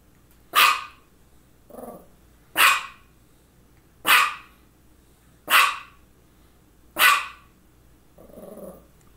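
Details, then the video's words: Female dog Misha barking near two focal seizures: five sharp barks roughly every 1.5 seconds, with softer lower grumbling sounds between them. "Barking and two focal seizures"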